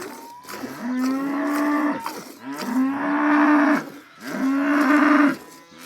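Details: Three sustained moos from a cow in a village, each rising briefly then holding a steady tone for about a second, coming roughly every one and a half seconds, with faint knocks in between.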